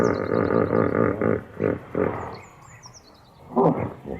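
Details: Hippopotamus sound: a rapid series of deep, throaty pulsed grunts. A pause follows, then one more loud honk near the end. High descending whistles from birds sound in the background.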